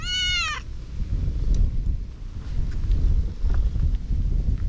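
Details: A single loud, clear meow with a quick rise and fall, from one of several affectionate cats crowding a walker on a cat island. Steady low rumbling noise follows for the rest.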